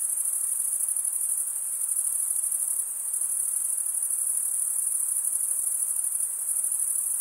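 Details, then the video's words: A continuous shrill chorus of chirping crickets, produced as males scrape serrated wing veins together. The pulsed high trill holds even, dipping only briefly in loudness near the middle. "Most relaxing cricket sound"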